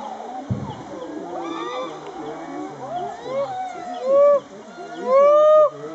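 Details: Chimpanzees at Ngamba Island Chimpanzee Sanctuary on Lake Victoria, Uganda, during a rain dance: overlapping rising and falling hoots and screams from several animals, building to two loud drawn-out shrieks near the end.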